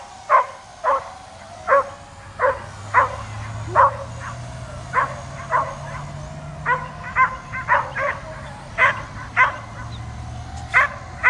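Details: A dog that hates a drone flying around barks nonstop and leaps toward it. Loud, abrupt barks come every half second or so throughout, some in quick pairs, with a continuous drone hum and low rumble beneath.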